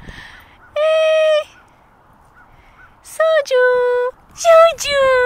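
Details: Sojou, a 19-week-old female Alaskan Malamute puppy, plays with golf balls under supervision. She gives three drawn-out, tonal, howl-like woos of steady pitch, each about half a second long, with a person talking cheerfully between them.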